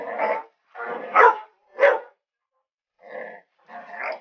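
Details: Pet dog Tucker going crazy barking at an alligator head; rough, harsh barks in quick succession with a brief pause, some drawn out and growly.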